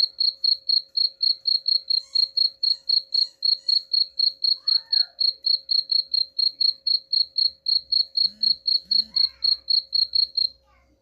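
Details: High, evenly pulsed cricket chirps, roughly four a second, used as a rat-repelling sound; brief faint chirps and a low rumble appear in the background toward the end.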